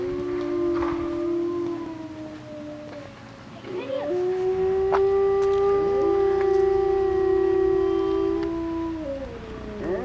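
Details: Grey wolves in West Yellowstone howl at a grizzly and wolf encounter, in long, steady, low overlapping tones that shift slightly in pitch.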